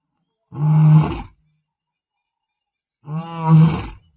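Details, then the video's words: Male lion patrolling his territory in the Masai Mara, roaring across the plains: two deep, powerful moaning roars about two seconds apart, each under a second long, with silence between. "Hear Osupaat’s Powerful Roar"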